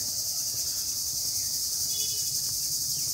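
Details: Crickets in a village in the time after midday, their noise all around; a steady, dense high-pitched shrilling fills the whole clip with no other clear sounds.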